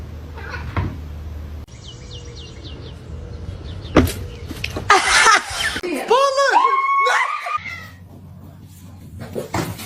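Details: Domestic cat meowing indoors: a short run of rising-then-falling, harmonic meows in quick succession, preceded by clattering and a burst of noise, with human voices and room hum in the background.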